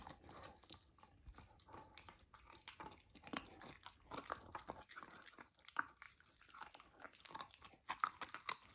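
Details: Young golden retriever trying raw lamb for the first time, eaten indoors: steady crunching and gnawing with wet smacks, bites coming in uneven clusters, a brief quieter pause midway before chewing resumes.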